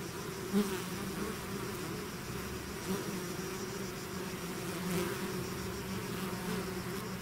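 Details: Bees swarming out of their hive make a thick low buzzing blanket; brief louder whirs of individual insects flying near break through around half a second and three seconds.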